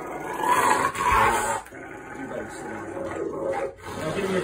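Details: Rottweiler growling during nail clipping: a rough, rumbling growl in loud surges, pausing briefly partway, then resuming in lower, shorter rumbles.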